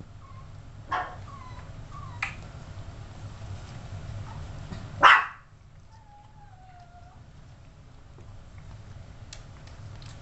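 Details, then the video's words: Yorkshire Terrier puppies, 32 days old: brief sharp yips near one, two and five seconds, the last loudest, with faint thin whines drifting between them over steady low room hum. "Yorkie Puppies"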